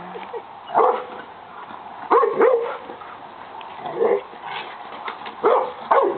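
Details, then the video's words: Pet dog Austin attacking the lawn mower barks in short bursts, about five loud sharp barks spaced one to two seconds apart, with a low engine hum beneath and a brief voice. "Austin, my dog, attacking the lawn mower"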